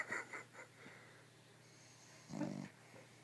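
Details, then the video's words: Newly adopted dogs, worn out and asleep on a sofa, snoring indoors: a few soft rhythmic snuffling breaths, then a louder rasping snort-like snore about two seconds in, in a quiet small room. "Snoring Dog"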